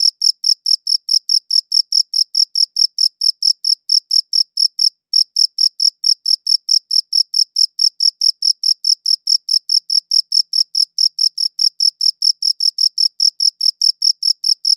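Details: Cricket chirping with a high-quality recorder, a rapid, regular train of bright pulses, pausing briefly around the five-second mark before resuming at the same pace; no other sounds.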